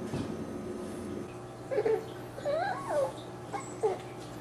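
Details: Six-week-old dachshund puppies giving a few short whining squeals, thin arched notes that rise and fall, spaced over about two seconds, against a steady low indoor hum.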